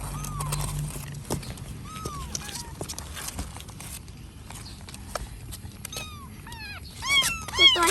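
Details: Kittens found at a pavilion while their mother was apparently away looking for food, then placed in a box for safety: thin high mews that rise then fall, scattered singly, then a quick cluster near the end, over a woman's talking and clatter.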